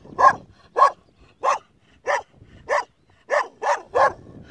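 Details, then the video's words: Kangal puppy guarding a flock of sheep alone, barking in short sharp yaps, eight barks in under five seconds at an uneven pace, clear over a quiet background. "Sürüyü tek başına koruyan yavru kangal"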